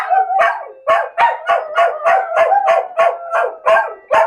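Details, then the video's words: Two pet dogs, Bubu and Charlie, howling together at a phone alarm ringtone that sounds daily at 13:00; rapid pulsed, wavering yowls around mid pitch, about three per second, with sliding tonal howl notes woven between. "Bubu and Charlie howling at ringtone"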